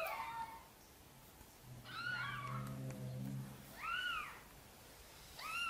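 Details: Mother cat gently meowing as she asks for help bringing her tiny kittens into the nest; four soft, arched meows spaced over a few seconds, with a low steady hum beneath the middle ones.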